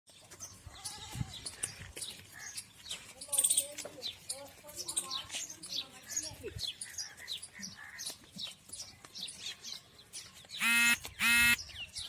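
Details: At a goat farm in Ajmer, Rajasthan, human voices fill most of the recording with quieter animal calls mixed in; near the end goats give two loud, nasal bleats with a shaky, quavering tone.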